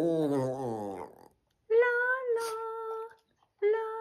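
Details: A Boston Terrier "sings" along on an early Sunday morning, giving long, steady, mid-pitched howls after a woman sings a wavering line.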